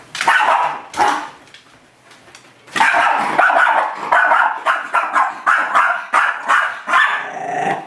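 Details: Miniature Schnauzer Cadie confronting its reflection in a mirror: two sharp barks, a short lull with faint growling, then a sustained volley of fast, harsh yaps at about one per second or quicker.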